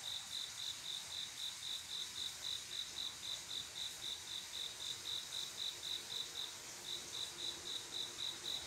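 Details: Night-time cricket, a male calling a female to mate: bright, high, evenly spaced chirps at close to four per second, with a short gap near six and a half seconds, under a steady wash of distant insect noise.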